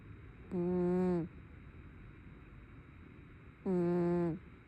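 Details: Brown tabby cat asleep and snoring, two short, low, buzzy-harmonic breaths about three seconds apart, each holding a steady hum before ending, with a faint constant background hiss between them.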